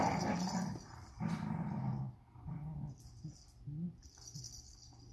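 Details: Indoors, a Vizsla puppy on day 61 tugs at a unicorn toy, giving a run of low, uneven growling rumbles that fade and return in short bursts, with faint rustling and hissy background noise.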